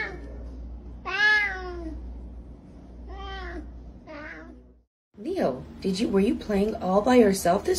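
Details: Indoor cat meowing: a strong descending meow, two softer ones, a brief silence, then a rapid run of chattering, wavering meow-like calls over low hum.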